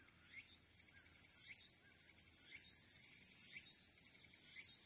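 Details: Walker's cicada in late summer, 22 August 2022, filmed by smartphone from the Aburayama Kannon observation deck in Fukuoka City, Japan: a constant piercing high drone pulsed by short upward-sweeping phrases roughly every second.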